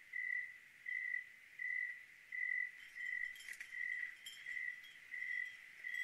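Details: Cricket on a clear night in Oregon, chirping steadily with short, even ringing pulses about every two-thirds of a second, around nine in a row, with faint tinkling chime-like sounds in the middle.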